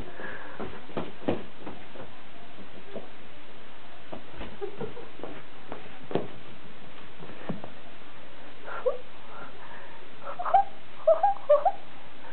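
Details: Chihuahua puppy letting out a brief cluster of short, squeaky, high-pitched whimpers near the end, after a stretch of soft scattered clicks and taps, with faint voices in the background.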